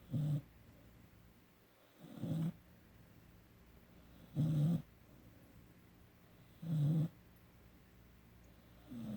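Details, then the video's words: Sleeping 17-week-old puppy Emery gives low, rasping snores, four strong breaths spaced about two seconds apart in a quiet room. "17 Week Puppy- Emery Snoring"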